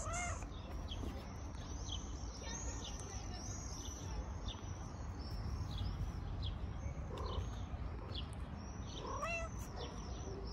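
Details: Stray cat resting on a car in the street, rolling over and purring on seeing a familiar person; a steady low rumbling purr runs throughout, two short meows break in near the end, and many birds chirp high overhead.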